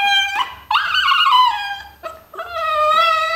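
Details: Dogs Jesse and Desmond 'talk' back to their owner in a small room with a series of bright, harmonic howling whines. Each rises sharply, wavers and slides down, with brief gaps between the three main phrases.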